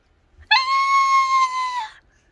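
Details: Calico cat giving one long, steady, drawn-out meow lasting about a second and a half, clear and tonal, with faint music in the background.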